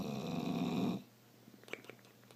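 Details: Bulldog snoring and making a strange noise: one loud, low, buzzy rattling snore lasting about a second, then near quiet with faint clicks.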